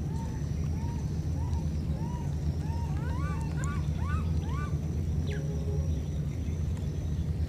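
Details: Two wild baby monkeys, separated by a flood, give thin, arching whistled calls over and over as they call to each other.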